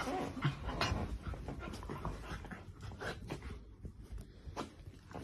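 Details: Dachshund, a sausage dog kept as a pet, panting quickly indoors in rough, breathy bursts about three times per second, the breaths softening toward the end.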